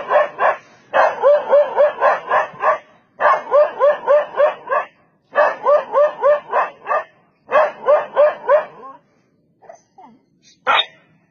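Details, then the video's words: Dog barking as it chases off a leopard that came to attack it: quick bursts of four to seven loud, harsh, rapid barks, separated by short pauses, then a few faint whines and one last bark. "Dog Barks And Chases Off Leopard That Come To Attack Him"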